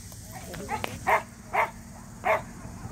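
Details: Samoyed entered in a local match show for the first time; three short, harmonic barks about half a second apart, with murmuring voices and crowd noise behind.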